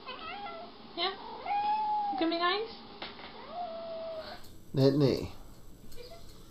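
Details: Jealous house cats confronting each other indoors, giving long drawn-out wavering yowls and meows that hold steady then bend, repeated several times, followed by a louder harsh burst, with people talking nearby.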